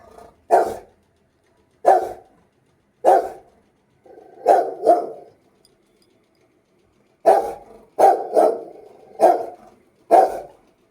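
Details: An angry Rottweiler barks loudly in deep, harsh single and double bursts, about ten barks over eleven seconds with irregular pauses and a long gap in the middle; no other clear sounds.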